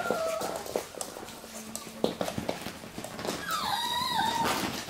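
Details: Russian Toy puppies at play: scratching and scuffling noises, then a high, wavering whine with clear overtones that rises and falls over about a second near the end, with a human voice speaking in the background.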